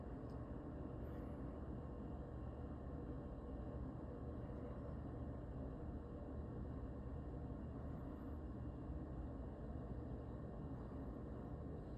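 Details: Steady traffic rumble and broadband outdoor noise fill the recording, with no animal calls heard.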